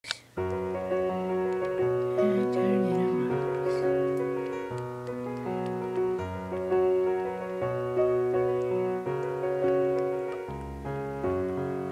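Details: Gentle piano music fills the recording, with a faint murmur of speech and no animal sound.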